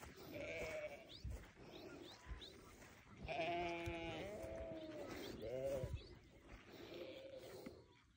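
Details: Newborn lambs bleating in wavering, nasal tones. One long quavering bleat, then another rising and falling cry a moment later, with softer bleats before and after over low background rumble.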